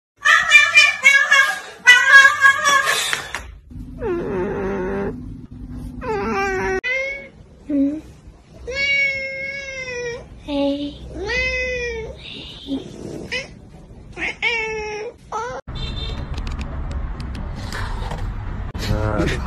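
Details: Domestic cats in a funny cat-reaction compilation give a run of varied meows, some arching up then down, others drawn out and wavering, in quick succession, with a burst of music at the start and rough background noise near the end.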